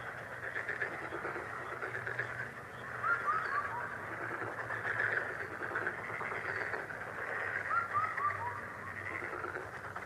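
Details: Frogs call together in a steady, dense chorus of pulsing croaks, with a few short chirping notes popping out around the third and eighth seconds.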